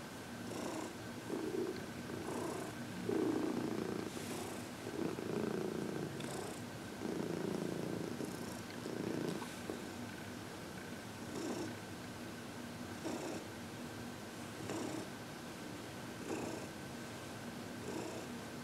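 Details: Heidi, an elderly cat adopted from the Humane Society of New York City, purring during massage and reiki; rhythmic low purring with breath-like pulses, louder at first, plus soft handling noises.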